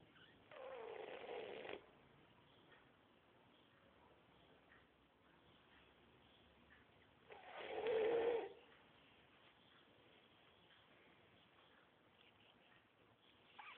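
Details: Sleeping French Bulldog snoring heavily, two loud rasping snore bursts about six seconds apart with quiet breathing between.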